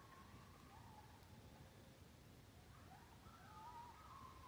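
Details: A pack of coyotes under a blue moon on October 31, 2020: distant, wavering high tonal howls slide up and down, several voices overlapping and rising toward the end above a steady low rumble.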